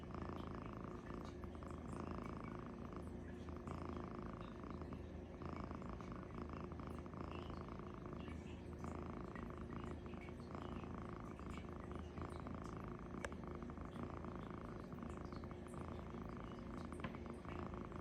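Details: Sleeping cat Luci-furr snores heavily, a continuous deep rasping rumble that rises and falls with slow, fairly regular breaths about every two seconds over a long stretch, with a few faint clicks and nothing else clearly heard.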